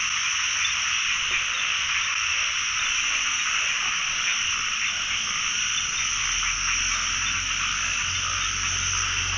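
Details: A pond full of calling narrow-mouthed frogs, recorded while they are being scooped up: a steady, dense chorus of rasping croaks blending into one continuous hiss, with a faint low rumble underneath.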